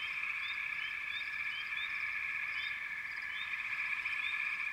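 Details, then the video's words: Steady massed trilling of a frog chorus with irregular short upward chirps, roughly three or four per second, layered over the constant drone. "Frog Chorus"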